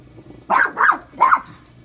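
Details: Pet dog barking at the washing machine, a daily occurrence, three short sharp barks in quick succession indoors, the last slightly separated from the first two.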